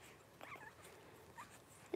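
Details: Twelve-day-old blenheim Cavalier King Charles Spaniel puppies from a litter of five born to Paris and Spike at New Year 2023. Brief high thin squeaks and a whimper around the half-second mark, another short squeal later, then a sharp knock at the end.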